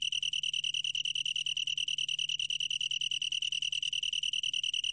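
A long-tailed tree cricket sings a steady, high, ringing trill made of rapid even pulses.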